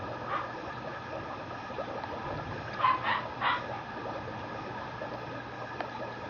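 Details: Female Mame Shiba (mini Shiba) puppy born August 3, kept at a Japanese kennel; a brief burst of two or three soft, high yips in the middle, otherwise quiet with low hum.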